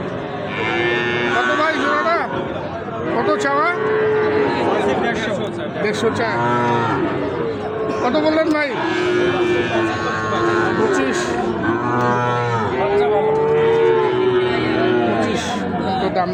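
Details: Sahiwal bull calves at Ambari cattle market, a haat held on Fridays and Mondays. Several long, steady moos sound through constant crowd chatter and human voices, with one drawn-out low call near the middle and another late on.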